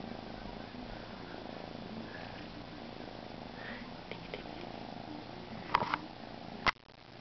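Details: Young male Siberian kitten purring quietly, a continuous low vibrating drone with faint hiss, broken near the end by two sharp knocks.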